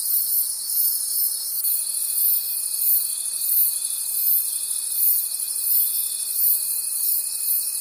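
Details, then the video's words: Many crickets trilling in a night forest, a bright high-pitched chorus beating in regular soft pulses about three times a second, joined by a steady faint tone after the first couple of seconds. "Forest Sounds and Cricket Conversations at Night"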